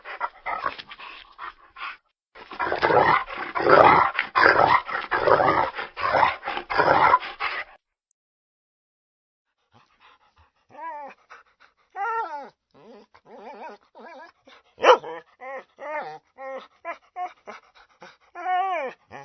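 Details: Dog in a rapid, dense volley of harsh barks for several seconds, then after a short silence a series of thin, high, wavering whimpers and yelps, repeated unevenly until the end.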